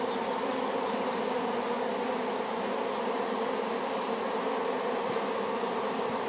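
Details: Steady mass buzzing of a honey bee swarm recently hived after collection from an apple tree; an unbroken, rich drone of many wingbeats with no other clear sounds.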